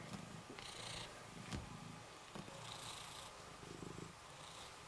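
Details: Rysiek, a cat kept in an isolation room at the Milanówek shelter, purring steadily as he is petted, a low continuous rumble pulsing with each breath, with soft clicks and rustles of handling.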